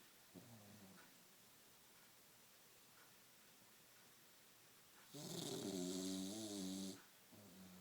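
An English Bulldog snores in deep, rattling breaths with a low, buzzy drone. One long snore swells into a loud, wheezy rasp before fading back to softer, gurgling breathing.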